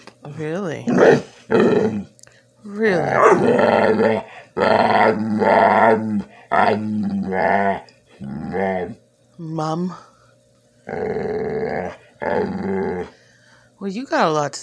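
A Bull Terrier begs for food with drawn-out, wavering groans and whines that bend up and down in pitch.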